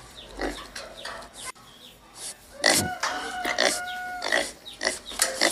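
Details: Rough grunts from a white wild pig, then a series of short, clear tonal squeals, some held briefly, mixed with noisy bursts toward the end.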